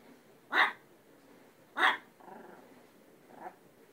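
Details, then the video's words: Talkative pet dog barking twice, sharply, a little over a second apart, followed by softer grumbling vocal sounds as a woman urges it to tell dad. "Peanut barking"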